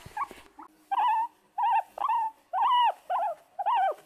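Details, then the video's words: An excited guinea pig wheeks in a run of clear, arching squeals, each rising then falling, about once a second. "Exited Guinea Pig Sounds: Guinea Pig Noises"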